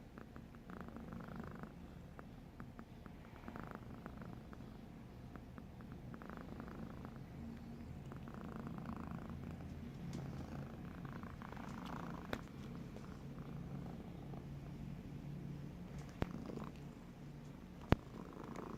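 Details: Snoring from Bogart the cat, a continuous low throaty rumble that swells slightly in the second half, with faint raspy textures and a few sharp clicks near the end.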